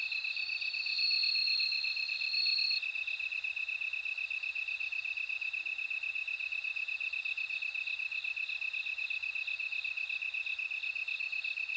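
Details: Ringing song of a bell cricket: a clear high tone in the first three seconds, then a steady, rapidly pulsed trill continuing without pause; no other animals heard.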